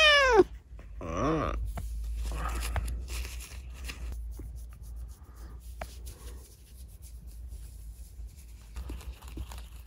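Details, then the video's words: A kitten, rescued after an accident left it unable to use its leg properly, talks at night in a small room. It gives a high meow that slides steeply down, then a second wavering meow, followed by soft rustling and handling noises. "夜のおしゃべりネコ。Talking cat at night."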